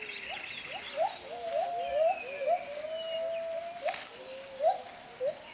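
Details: Jarunee the gibbon sings to announce territory: a series of short whistled notes sweeping upward, repeated about twice a second, some longer held tones between, with distant birds and forest hum behind.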